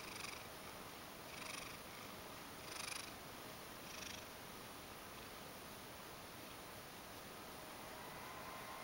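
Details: Ragdoll cat Mojio purring affectionately, wanting to be petted. Four soft, breathy swells come roughly every 1.3 seconds, then settle into a quieter, even rumble for the rest of the clip.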